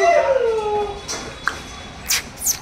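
A Chow Chow puppy gives a drawn-out, falling whine, followed by a few short scuffling noises.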